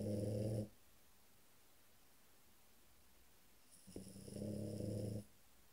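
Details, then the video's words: Sleeping French Bulldog named Cesare giving two drawn-out buzzing snores, each with a rough low rattle, separated by about three seconds of near silence indoors. A faint high whine accompanies each snore. "cesare bouledogue francese dormiglione"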